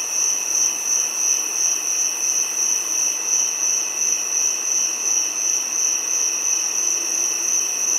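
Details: Giant cicada calling in a steady, unbroken high-pitched drone: a shrill pure whine with a fainter lower tone beneath it, holding at constant loudness with a slight rapid pulsing throughout and no other clear sounds.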